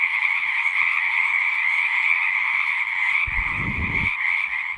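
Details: Singing frogs keep up a dense, unbroken trilling chorus in two pitch bands. A brief low rumbling thump cuts in underneath near the end while the frogs carry on.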